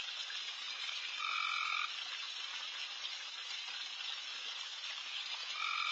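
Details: Frogs calling insanely loud all over a backyard at night during a late deer feeding: a dense, continuous buzzing chorus with a louder individual trill rising out of it for about half a second, then again near the end.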